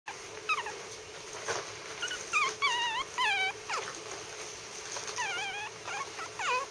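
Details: Three-week-old Maltese puppy named Howler, lying on his back, gives short high whimpering howls with arched, wavering pitch, several in quick clusters, over a steady faint hum.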